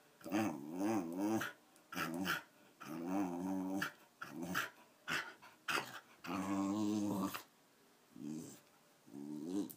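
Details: Thirteen-year-old Wire Fox Terrier Patsy, still energetic, gives a run of wobbling, rumbling growls broken by brief pauses, some bursts rising into a strained, whiny edge, in a small room.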